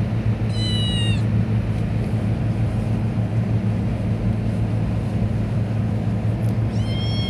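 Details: A short, clear meow from the pet cat Pelusita, then a long stretch of steady low droning hum, and a second meow starting at the very end.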